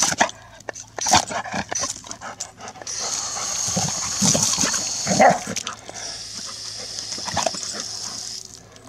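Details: A female Golden Retriever gives sharp, scattered barks, demanding the garden hose be switched on, over a steady hiss of spraying water.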